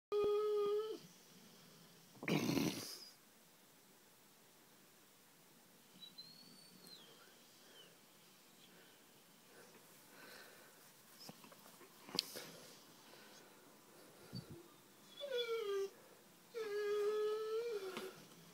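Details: Blue, a one-year-old male American Pit Bull Terrier and Bullmastiff cross in London, cries to be let out: drawn-out tonal whines with bending pitch at the start and again near the end, separated by quiet stretches and a few knocks.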